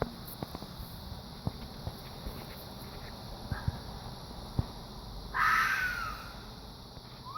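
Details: Fox gives a single rasping, screech-like call late in the recording, falling in pitch; before it, scattered ticks and light knocking sounds over constant hiss.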